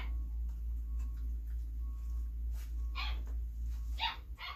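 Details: Female Belgian Malinois puppy, born 26 September 2021, being hand fed indoors; a few short, sharp, bright yips burst out near the end over a steady low hum, with soft faint noises before them.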